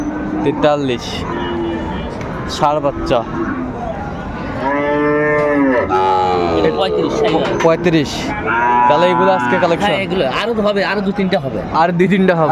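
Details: Bull calves at a cattle market in Comilla, Bangladesh, 6 January 2025: clear drawn-out harmonic moos, several lasting over a second, rise and fall among other overlapping lowing, with crowd noise and a passing vehicle.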